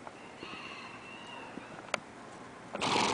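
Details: Paso Fino filly born 3/10/08, sired by Imponente de La Libertad: a faint, steady, tonal whinny held for about a second, followed by a sharp click and a loud rushing burst of noise at the end.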